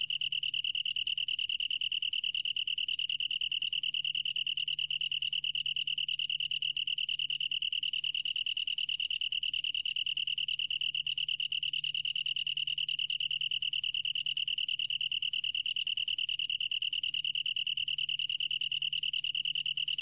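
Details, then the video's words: Long-tailed tree cricket giving a long, uninterrupted high trill, pure and bell-like, pulsing rapidly at an even rate throughout, with ringing upper tones and a gentle low-frequency hum in the background. "긴꼬리, 1번 듣기, 곤충소리"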